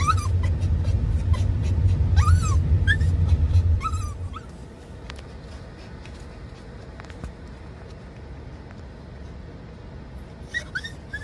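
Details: Raku, a Dachshund-Toy Poodle mix (Doxiepoo), rides in a car with mom, excited and courting while chasing dad. High whining cries that bend down then up come in a quick series over loud engine rumble, then fade to a quieter hum with a few cries at the end.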